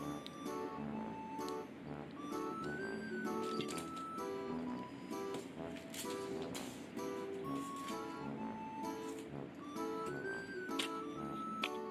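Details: Only background music plays, with steady melodic tones and no animal voice. A few faint clinks are mixed in.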